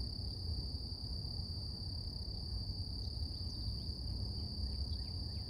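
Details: Cicadas in the morning: a steady, unbroken high-pitched drone with a fainter upper overtone, over a heavy low rumble; a few faint downward-sweeping chirps from birds near the end.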